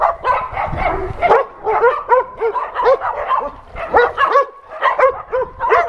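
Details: Several shelter dogs at an adoption center barking at a visiting TV crew; steady run of arched, tonal barks about twice a second, mixed voices with a few higher yelps.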